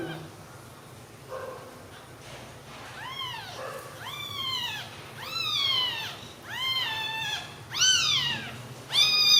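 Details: Newborn kittens together on milk: a series of high, thin mews, each rising then falling, repeated roughly every second and growing louder, with background music and a low hum.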